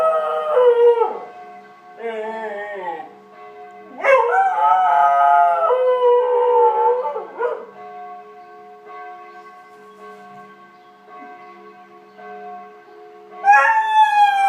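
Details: Border Collie George joins the daily 12:00 and 18:00 church bells, howling in several bursts of wavering, harmonic-rich tones separated by quieter gaps where the ringing bells carry on alone, ending with a fresh rising howl.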